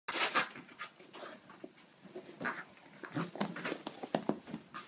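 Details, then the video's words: Jock, a Scottish Terrier, savaging his new toy duck: rough, breathy bursts of panting and snuffling, a loud burst near the start, then a quieter stretch before a run of short, ragged huffs toward the end. "Scottish Terrier savages toy"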